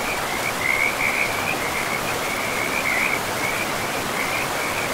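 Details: Chorus of frogs in a pristine forest by a river, their rapid, grating trills overlapping in a continuous high band, rising in bursts now and then, all set against a steady hiss of running river water.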